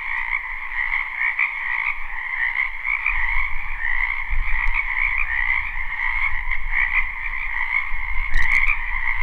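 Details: Frogs croaking together in a wetland during spring, recorded live: a steady, thick trilling chorus continues throughout over a low rumble of wind or handling noise, with a brief click near the end.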